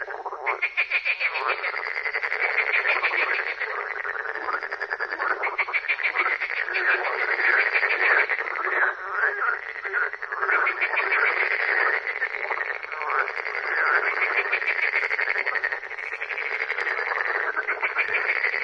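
Frogs croaking in a dense, continuous chorus of rapid rattling pulses.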